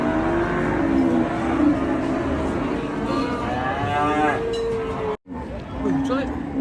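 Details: Raging cattle in Indonesia: a series of loud wavering moos with rising, strained bellows, broken by a sudden brief cut, then further calls and shouting in the background.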